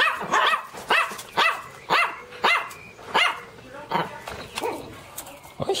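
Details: {'text': 'Teco, a Pinscher dog, barks bravely and loudly in a steady string of high yaps about every half second, growing softer toward the end.'}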